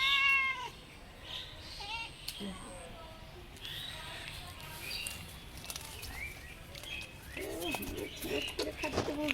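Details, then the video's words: Domestic cat giving one short, bright, harmonic meow at the start, followed by a woman speaking Bengali over quiet room noise, with faint scattered chirps and clicks. "cat meowing.kitten sounds.cat meowing funny sound.What does a cat in distress sound like?"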